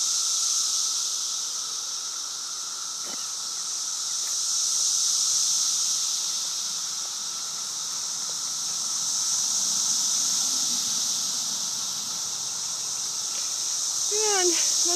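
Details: Cicadas swarming in a yard in Virginia in 2013: a loud, unbroken high-pitched buzzing chorus that swells and fades in slow waves, with a brief squeaky sound near the end.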